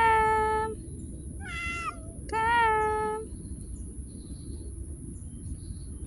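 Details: A street cat gives three drawn-out, tonal meows, the middle one wavering and falling, while a person coaxes it warmly in the morning. A faint background hum follows.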